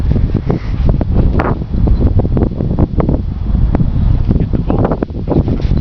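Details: Outdoors, heavy wind buffets the microphone while faint voices and rustling come through, and no animal call stands out.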